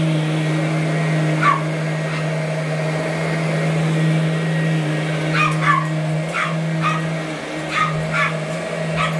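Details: Small 12-year-old Boston Terrier weighing 8.5 pounds, barking while chasing a running vacuum cleaner. Sharp, high barks come singly and in quick pairs, about nine across the stretch, over a steady low vacuum drone.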